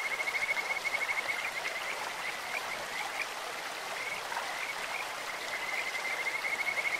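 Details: Kajika frogs sing over a clear stream with a sweet, insect-like voice. A quick pulsing high trill opens the clip, a quieter stretch follows, then the trill returns near the end, all above continuous running water.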